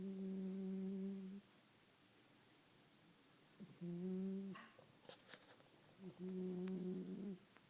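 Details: Staffordshire Bull Terrier puppy sleeping and snoring indoors: steady low droning snores with stacked harmonics, three long breaths each lasting over a second, separated by quiet pauses, with faint clicks between.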